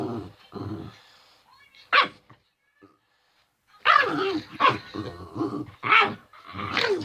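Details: Pet male dog making its usual playful noises, protective lately of an ill household member: low rumbling growls, then a sharp yelp-like bark, followed by a rapid run of whiny, grumbling vocal bursts about once a second.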